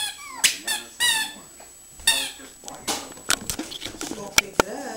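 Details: Indoor pug howling for her toy, several quick high squeaky whines that slide downward, followed by mixed clicks, shuffling and brief vocal sounds.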